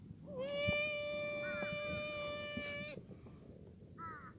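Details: Black goat bleating in a farm's outdoor exercise yard in Gimhae, South Korea, on a sunny Sunday morning in late March 2019: a long, even, strongly harmonic cry held for about two and a half seconds, with brief distant chirping calls before and after.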